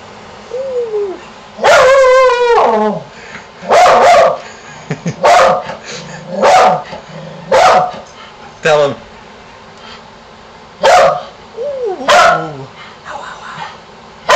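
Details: Pet dog Shamus barking and howling at a contractor in the neighborhood, with encouragement from its owner: a long wavering howl near two seconds, then repeated sharp barks and short yelps with a person's voice between.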